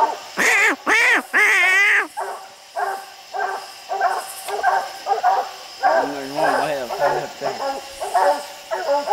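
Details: Hounds treeing raccoons on a steep hillside at night; three long, loud drawn-out bawls open, then a run of quicker overlapping barks from more than one dog, with a high insect drone behind.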